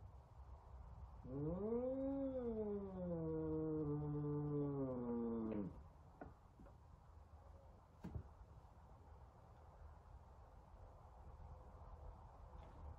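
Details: Angry F2 Savannah cat, an indoor pet, lets out a single long moaning yowl lasting about four seconds, rising then sinking to a low steady drone. A few clicks and thuds follow in a quiet room.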